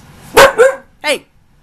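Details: Young female husky Ankita, nearly a year old, protesting while her owner calls for an inside voice: two sharp, rising-falling yelps close together, then a third bent, whining note after a short pause.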